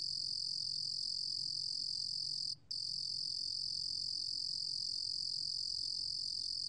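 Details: Steady, piercing trill of the Ruru-gom cricket, National Institute of Biological Resources recording from 2020, running unbroken apart from a single short pause midway through; only a soft low background hum otherwise.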